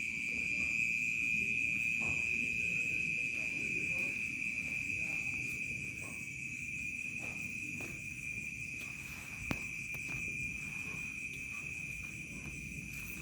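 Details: Crickets heard at night in a rural village. A constant shrill trill rings on without pause, steady in pitch and fading slightly in the second half. There is one sharp knock late on and a low murmuring background.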